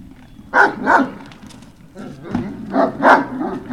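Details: Great Dane puppies on Puppy Hill, 18 November 2018, giving a series of short yipping barks in pairs, loud bursts separated by quieter gaps over a steady low background hum.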